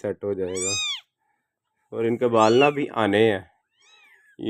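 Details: Persian doll face kitten giving a short, high, arching meow, followed later by a fainter, thinner mew, while a person talks loudly before and between the calls indoors.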